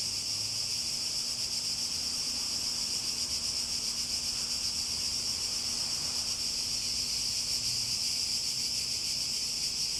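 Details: A chorus of cicadas gives an unbroken, piercing high drone with a quick rhythmic pulsing, holding steady in loudness from start to finish, with a faint low hum beneath.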